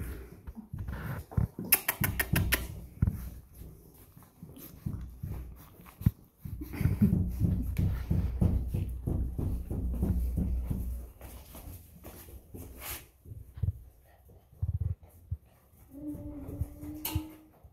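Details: Golden Retriever puppy aged five and a half weeks: low snuffling and rustling movement, a burst of sharp clicks, then near the end a brief thin whine held on a steady tone.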